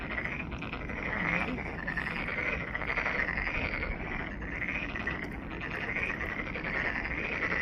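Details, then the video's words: Pond frogs at Ulsan National Garden's Monet's Pond in South Korea, a thick unbroken chorus of rattling croaks from numerous callers, steady in loudness, with faint low background noise. "울산 국가정원 모네의 연못 개구리 소리"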